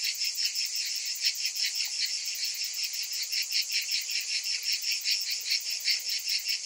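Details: In summer, massed cicadas keep up an unbroken, piercing buzz that pulses quickly and somewhat unevenly, close to three beats per second, with no other animals or voices.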